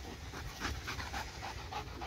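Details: Laser-pointer-fixated dog gives brief rapid panting, several hoarse breaths within two seconds, with faint thin whine-like tones between puffs.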